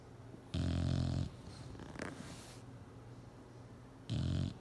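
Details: Bulldog sleeping and snoring on a chair: two loud, deep, rasping snore bursts, the first lasting almost a second, the second near the end, with quiet breathing between.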